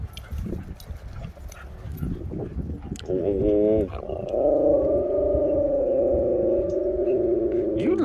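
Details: Two husky brothers, one named Brix, roughhousing wound up at a dog park; a short burst of harmonic yelping whines leads into a long, sustained, wavering howl-like moan, with scuffling and a man's voice urging them on.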